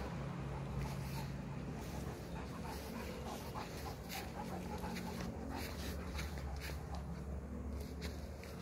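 A Great Dane pants in quick, breathy bursts over a steady low hum.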